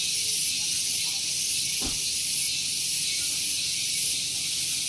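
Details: Loud cicadas on a morning at Gunung Geulis, Bogor, West Java: a constant high, hissing buzz. A single short low thud interrupts near two seconds, with faint rumble from a nearby vehicle parking area.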